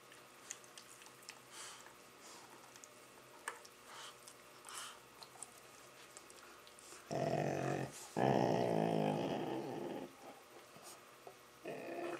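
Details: Labrador Retrievers playing with a Rottweiler puppy: long stretches of near quiet with faint scuffling, then a loud, harmonic, groaning moan at about seven seconds and a second longer one just after, trailing off.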